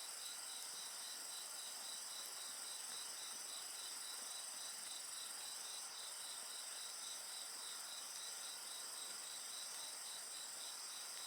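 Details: Insects chirp in a rapid, evenly pulsed rhythm, about three to four beats a second, over a bright continuous high trill from other singers; the background stays calm with only faint fire crackle.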